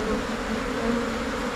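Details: A brief steady hum from an Asian honey bee swarm, the Thai cavity bee, entering a new hive box after the colony divides. The wing drone is dense, with faint overtones above it.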